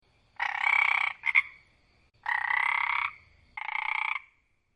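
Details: A frog croaks in three drawn-out buzzy bursts, each under a second long and rapidly pulsed, with a brief double stutter after the first. Quiet gaps separate the croaks, and there is no other sound.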